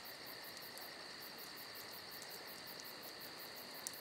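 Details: Crickets fill a summer night with unbroken high-pitched trilling and rapid regular pulses, the campfire nearly silent apart from a faint snap at the very end.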